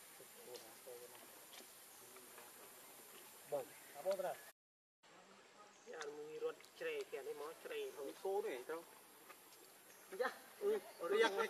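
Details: Baby monkey Leo, hungry and begging its mother for milk, gives wavering, whimpering cries in short bursts, each a mid-pitched quavering wail repeated about twice a second, with a brief gap in the middle.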